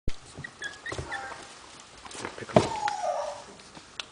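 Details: Pomeranian puppies almost four weeks old, recorded May 25, 2008, with one pup making a crying noise: a brief whining cry that slides and fades near the end, after soft scattered squeaks and rustling in a small room.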